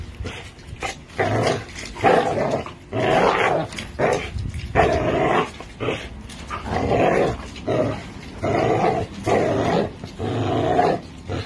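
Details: An American Bully and a Pit Bull growl while pulling on a tug toy, with dense uneven rasping bursts repeating roughly every two seconds and little quiet between them.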